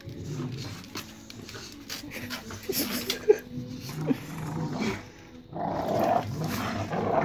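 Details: A family of Staffordshire Bull Terriers destroying a toy in rough play give low, rumbly growls with sharp bursts and snorts.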